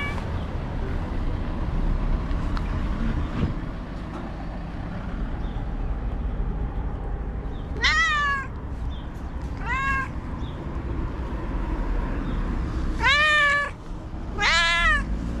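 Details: After a long stretch of low rumble, an angry white cat lets out four sharp, arched harmonic yowls in the second half, the last two louder and close together.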